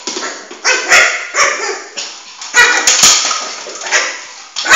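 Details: A four-month-old male Shih Tzu named Flame plays with a ball indoors and lets out a few short, high yips spaced irregularly amid rustling and bumping noises.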